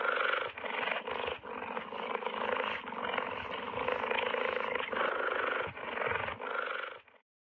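A cheetah makes a rough, steady rumbling growl, almost like a loud purr. It lasts about seven seconds, with brief breaks for breath.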